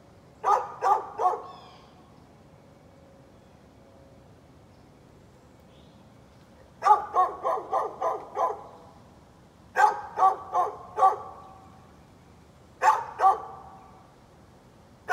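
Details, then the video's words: Neighbor's dog barking on 13 November 2020, a long-running nuisance: sharp, mid-pitched barks in bursts, three quick barks, a pause, then a rapid run of about seven, then four, then two, with quiet gaps between. "Neighbor's barking dog"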